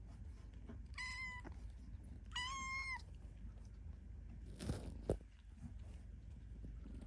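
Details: Hungry kittens cared for by cat volunteers in Tama City, Tokyo, calling with two short, bright, slightly falling meows about a second apart, then a brief rustle and a click over a low background hum.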